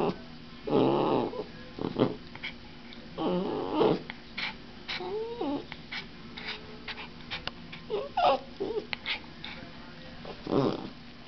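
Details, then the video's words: Puppy named Saphira whimpering as she is shaken, giving short nasal whines and squeaky rising notes spaced by gaps of a second or more, with some rustling between calls. "Cute Puppy Singing weird noises"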